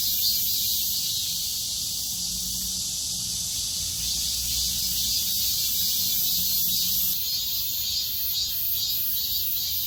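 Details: High-summer chorus of cicadas, a steady piercing buzz with faint pulsing around twice a second; after about seven seconds the upper tone shifts as another voice drops out, while a faint low hum runs beneath.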